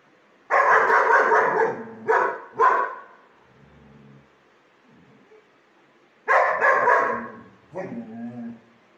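A German Shepherd gives loud, deep, broad barks in short bursts with pauses between.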